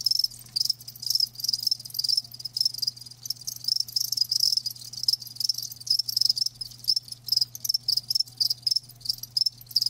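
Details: Live crickets chirping continuously, a dense high-pitched trill of rapid pulses repeated in short bursts several times a second, with a faint steady low hum underneath throughout.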